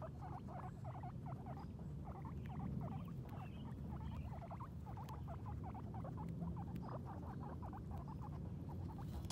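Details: Guinea pigs Sheik and Penny, both female, exploring outside for the first time while eating grass; dense bursts of short squeaks, pausing briefly midway, then resuming rapidly, over constant low chewing and rustling.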